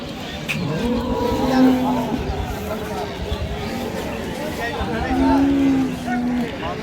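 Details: Two low, steady moos from a Friesian milk cow at Ambari market, one around the second mark and another near the end, each about a second long, with people talking and passing vehicles behind.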